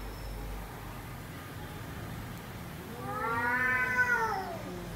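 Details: After a quiet start with faint room hum, a domestic cat lets out one short, arching meow that climbs and then dips.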